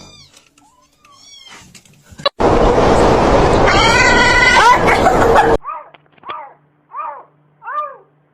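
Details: Domestic cat in a funny cat compilation: a long rising, wavering yowl over rough broadband noise, then four short arched meows about every 0.7 seconds after the noise stops, with faint chirps early on.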